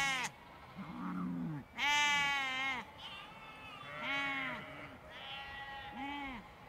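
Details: A large flock of sheep and lambs in a field bleats, with wavering, nasal calls from adults and higher, thinner cries from lambs.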